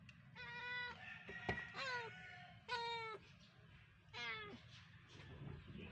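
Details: Rescued domestic cat Bunso and her babies during play time; four separate meows arrive roughly a second apart, each bright and falling in pitch, with a sharp click midway and a low background rumble.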